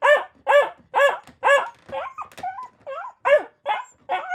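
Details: Dog barking in a rapid series of about two barks a second, each bark harmonic and sharp, with several higher, rising yelping whines mixed in toward the middle; no other sounds.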